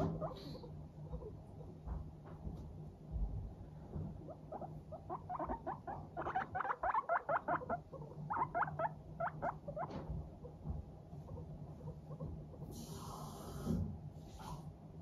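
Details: Teddy and Abyssinian guinea pigs in a good mood chatter while trotting along, a rapid run of short, soft putt-putt pulses bunching up mid-clip, over a steady low hum with a brief bright burst near the end.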